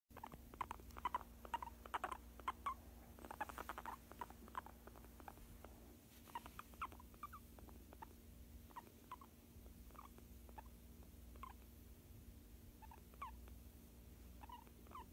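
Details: Fluffy pet guinea pig talking while being given a massage: short, soft squeaks and chirps repeated in quick irregular bursts, faint over a steady low hum and light rustling.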